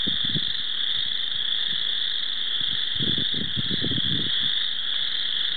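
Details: Spring chorus frogs call in a dense chorus at Cherokee Marsh: a steady, high, ringing drone with low croaks pulsing beneath.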